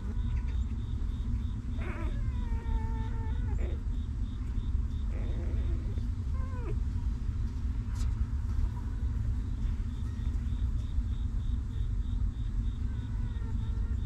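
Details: Newborn puppies of a stray mother dog that keeps them warm, cleans and comforts them: thin, whining whimpers that slide downward, heard in short bursts near two, three and a half and six seconds over a steady low rumble.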